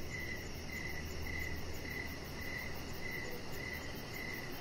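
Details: Evening crickets near a deck with a resting chihuahua puppy, Rocket; clear high chirps come in an even rhythm about twice a second against a constant low rumble and a faint, fast high-pitched pulsing.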